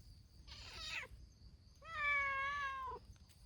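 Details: Stray community cats of Hime's team, a brown-tabby-and-white cat, gathering noisily: a short rough meow, then a long, loud, steady meow held for about a second, over faint background hum.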